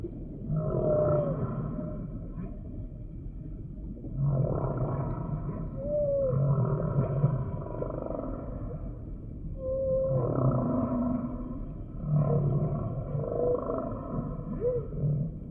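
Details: Humpback whale singing a repeated phrase: low, buzzy moans alternate with short upswept whistled squeaks, about six units over fifteen seconds against a steady underwater rumble.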